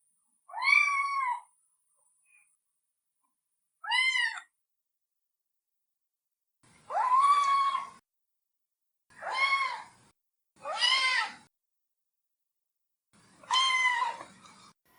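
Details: Cat meowing in six separate calls spread over fifteen seconds, arched harmonic cries, the later ones louder and rougher with a slightly hoarse, strained edge.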